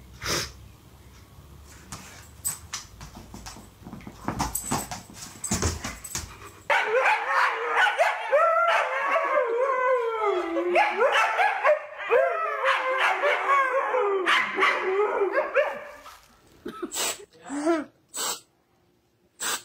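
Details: Husky in a funny dog compilation, vocalizing in a rapid run of wavering, rising and falling whines and yips, preceded by clattering noises and ending with a few separate short yelps.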